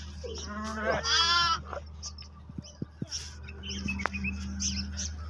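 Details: Lamb with sheep giving one short wavering bleat near the start, followed by scattered clicks, knocks and faint background noise under a constant low hum.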